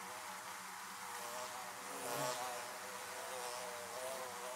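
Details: A dense, even hum of many bees flying around beehives, with a single bee passing near the middle in a short swell of louder buzz before the drone settles again.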